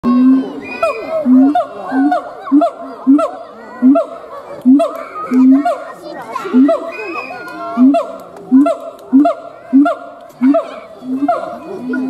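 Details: A siamang (Symphalangus syndactylus) gives loud, rhythmic hooting notes that rise and repeat in quick pulses.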